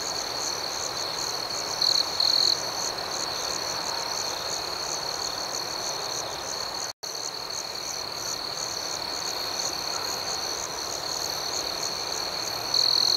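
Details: Gentle nighttime cricket chirping outdoors, a sustained high trill with rapid pulsing overtones and a few brief louder chirp bursts, cut by a momentary silent gap about halfway through.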